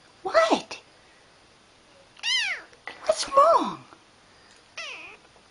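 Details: Domestic cat indoors, several short meows with falling pitch interleaved with a person's speech asking what is wrong and whether it is tired or hungry.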